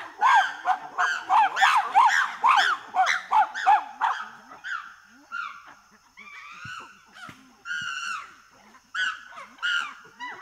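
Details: Chimpanzee pant hoot: a fast run of loud hooting pants, about three per second, slows into spaced, shrill barking calls with short gasping breaths between them.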